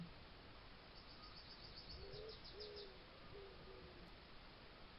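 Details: Garden trail camera in Suffolk, 19th–20th July 2022, catches fox noises: three or four brief, level, mid-pitched whines spaced under a second apart, with faint high chirps overhead and constant low hiss.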